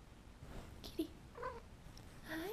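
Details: Domestic cat making sleepy noises while asleep: a few soft, short squeaky murmurs and chirps in quick succession, ending in a slightly longer whining note that rises and falls, with faint rustling between.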